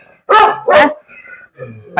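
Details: Two sharp, loud barks in quick succession from a dog said to be very angry, followed by softer human speech.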